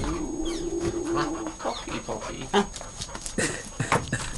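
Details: A puppy, recorded 21 April 2011 at the end of a long day, wanting to play: a drawn-out, steady whine for about a second and a half, then scuffling, thumps and rustling, with a person laughing nearby.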